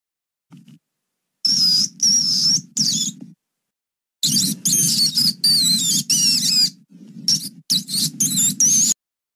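A mouse gives bursts of thin, high-pitched squeaks in quick, irregular clusters.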